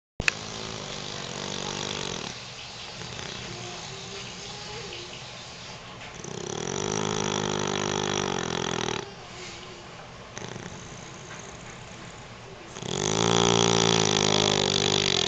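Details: Sleeping beagle snoring: rough, harmonic rasping breaths in long swells, quieter through the middle and loudest in a final sustained snore.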